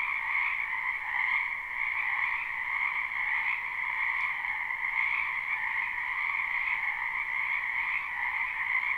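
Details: Frogs calling in a spring wetland, live recording: steady, overlapping trilled croaks forming a continuous two-band drone with gentle pulsing, a faint click near the middle.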